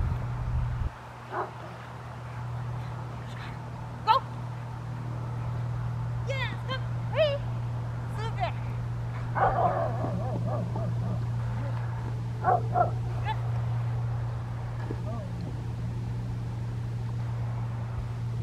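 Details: Nine-month-old Rottweiler Anaconda, filmed December 12, 2012, during training to bark on command and bring back a toy; short, scattered barks break through the handler's spoken commands over a steady low engine-like hum.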